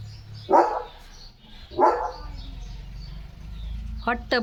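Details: Leo, a pet German Shepherd, shown wearing new glasses, gives two short, loud barks about a second apart, then quieter background sounds and a couple of faint high clicks.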